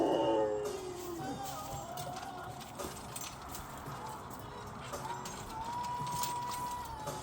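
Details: Excited Siberian huskies howling: an opening tone sliding downward over about a second, quieter wavering notes, then a long steady high howl near the end, with background music and faint human voices.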